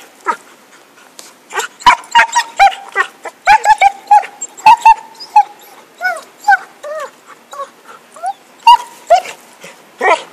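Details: Stick in play, Happy the dog barks and yips almost nonstop in 2012, a fast, uneven volley of short high barks, some with bent, squeaky pitch, continuing for about ten seconds.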